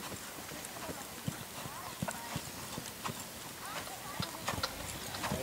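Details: Clip-clop of a brown purebred Lusitano stallion's hooves on a stud farm, uneven dull knocks scattered through the stretch, overlaid by a man's speech and shouts amid constant broadband noise.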